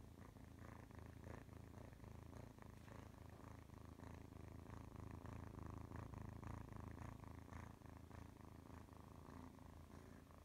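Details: Oscar, a domestic cat, purring steadily: a deep, throbbing rumble that swells and eases in a regular rhythm with his breathing, close and continuous throughout.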